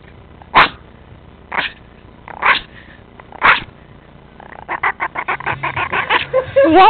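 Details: A pet Chihuahua: four short, sharp, sneeze-like bursts, then a fast, regular, pulsing growl that builds like a revving engine over the final two seconds.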